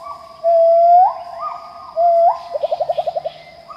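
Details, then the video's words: Pileated gibbon song from Khao Yai, Thailand: long, smooth notes that swoop up in pitch, followed by a quick bubbly run of about nine short, lower notes, over a constant high-pitched insect hum. "Pileated Gibbon singing - The sounds of gibbons calling in Khao Yai, Thailand"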